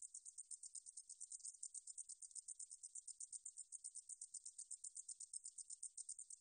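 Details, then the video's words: A meadow katydid's shrill, rapidly pulsed song, recorded in 2020 by Korea's National Institute of Biological Resources: rhythmic hissing chirps about eight per second, steady in loudness, with a silent background. "등줄어리쌕쌔기, 여러번 듣기, 곤충소리"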